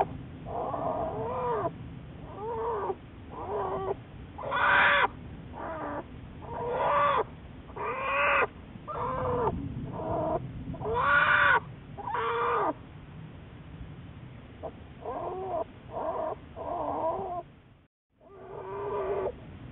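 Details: Juliet, a research-study American black bear, on March 1, 2014: a long run of repeated whining, arching cries, roughly one per second, irregular in spacing, some louder and brighter, with a brief silent gap near the end.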